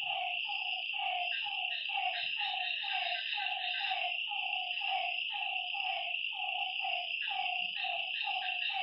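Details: Frogs give short, hollow notes in a steady run over a continuous high insect drone at night by a lake.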